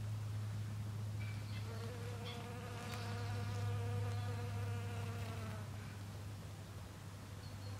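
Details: Low, continuous hum from a western honey bee foraging at snowdrop blossoms; the drone stays even while fainter higher overtones swell and fade midway, with a few light ticks.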